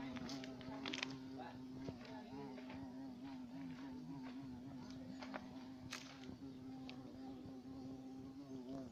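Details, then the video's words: Carpenter bee droning, its buzz slightly higher and wavering in pitch as it hovers, with scattered taps and crackles throughout. "abejorro carpintero"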